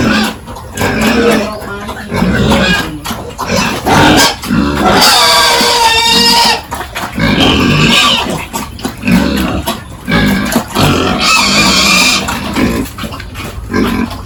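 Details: Farm pigs at morning feeding and pen cleaning in a village; noisy grunting and clattering, broken by two long piercing squeals with stacked wavering harmonics, the second shriller, over a faint steady high hum.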